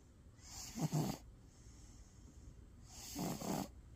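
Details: Sleeping black cat snoring: two slow, breathy snores about two and a half seconds apart, each a broad rasping swell with quiet pauses between.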